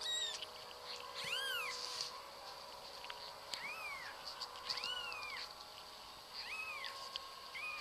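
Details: Domestic cat meowing in a series of short, arched mews that rise then fall, about five across eight seconds with brief pauses between, over a constant electrical hum.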